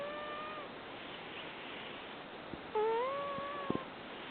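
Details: Rescued cat snoring in its sleep at a Fukui cat shelter in Japan. A fading whistled tone is followed by a longer, steady whistle that rises a little, with a few soft clicks in a noisy background.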